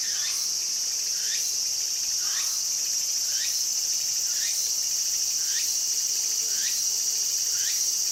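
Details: In a garden, Walker's cicada calls busily, with upward-sweeping notes recurring about once a second above a constant shrill buzzing chorus.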